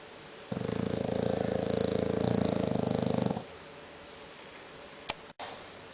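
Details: Sleeping English bulldog named Conrad snoring loud: a single rattling, fluttering breath lasting nearly three seconds, steady and low, followed by quiet room tone and a brief click near the end.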